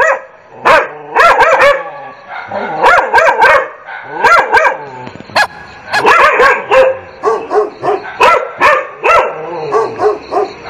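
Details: Barking dogs in dense, overlapping volleys, loud ringing barks tumbling over one another in irregular clusters with short breaks, sounding like several excited dogs at once.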